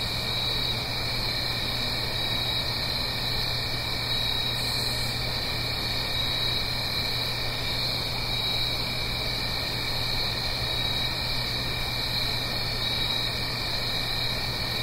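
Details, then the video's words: Autumn night cricket chorus recorded in stereo in the Blue Ridge Mountains above a gentle stream: constant shrill, even trilling in several stacked pitches, never pausing, over a soft low background rumble. "Autumn Crickets - 9-Hour Sleep Sound - Fall Cricket Song"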